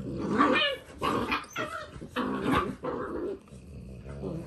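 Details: Dalmatian puppies in their last few days with their keeper, giving a run of high, harmonic yelps and short barks in quick succession, with a growly edge and soft background chatter.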